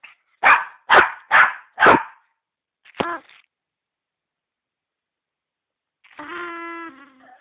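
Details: A dog barking: four strong, evenly spaced barks about half a second apart, a single clipped yelp, then silence before a long tonal whine with stacked harmonics.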